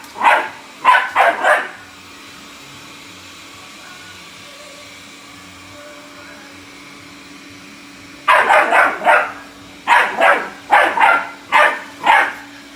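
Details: A Bull Terrier puppy attacks a robot vacuum, barking in short bursts over the vacuum's steady hum, with laughter nearby.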